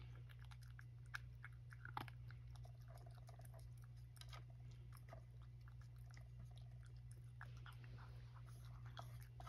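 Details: Rescued male cat Satchan finishing breakfast, taking a second helping indoors: a steady run of quiet, crisp crunching and biting clicks over a constant low electrical hum.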